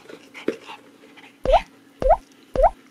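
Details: Maltese dogs indoors at home, welcoming their owner back from an outing; three short, sharp, rising yaps about half a second apart, after soft rustling and a faint murmur.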